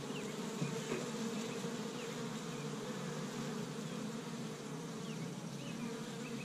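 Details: Many honey bees working an established hive in Michigan on a warm early spring day, collecting tree-bud pollen; a thick, constant buzzing drone with faint high chirps of birds in the background.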